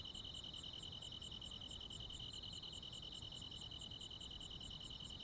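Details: ['On a midsummer night in the countryside, crickets and other insects keep up a constant shrill trill, overlaid with rhythmic high chirps a little over two per second that grow slightly uneven, with faint low noise.']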